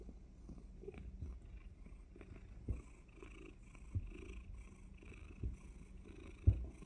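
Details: Domestic cat purring just before a surprise bite; steady low rumbling purr with soft rhythmic pulses and a few small clicks and thumps.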